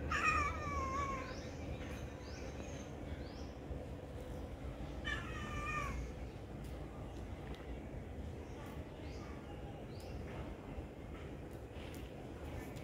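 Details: Kitten being given food meows twice, about five seconds apart, each a short harmonic cry that falls in pitch, over a steady low hum and faint background noise.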